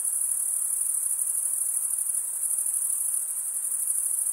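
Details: Continuous cricket chirping made by wing stridulation: a thin, piercing, very high ringing tone, unbroken and even, with a faint pulsing texture and nothing else audible.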